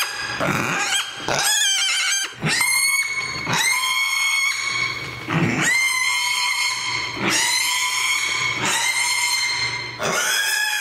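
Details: Oscar the mini pig, grumpy when sleepy, wanders the house shrieking: long, loud, strained screams of one to two seconds each, separated by brief breaths, continuing almost without pause indoors.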